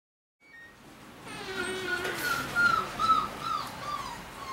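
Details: Puppy named Push, who escapes his siblings every night over a baby gate to sleep on his mother Risk's bed, heard indoors in the morning giving high, wavering whines that rise and fall, with a woman talking over him.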